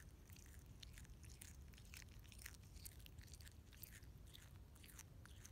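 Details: Quokka pulling up and eating grass, a steady stream of crisp crunching bites, several per second, over a low rumble.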